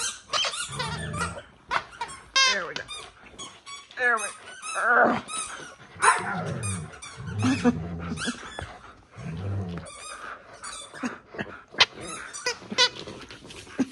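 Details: Pet dogs indoors keep their owner from watching TV, producing a busy run of high squeaky whines, rapid yips, short barks and low growls, with a woman's voice and laughter.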